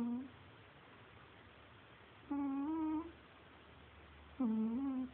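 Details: Cagney the cat snoring indoors: three short, nasal, whistle-like hums, each slightly rising then falling, with a wavering tone, spaced about two seconds apart over a faint low room hum.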